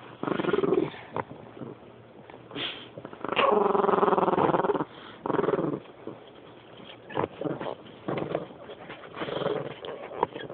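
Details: Rat terrier after her toy gives broken, uneven growls in short bursts, one longer steady rumble near the middle, mixed with snorts, clicks and handling noise.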